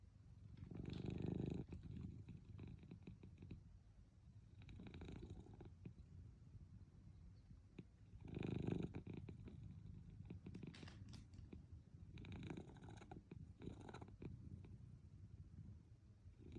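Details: Munchkin cat named Milk napping at midday, purring and snoring: a steady low rumbling purr broken by breathy snores that swell roughly every three to four seconds, about five snoring breaths across the stretch, in a quiet room.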